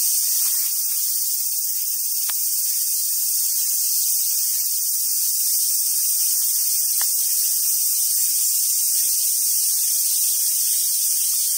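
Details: Cicadas in summer around the Awaji Island Monkey Center in southern Sumoto, Hyogo, Japan: an unbroken, intense high-pitched hissing drone, steady in loudness throughout, with two brief sharp clicks and faint low background noise.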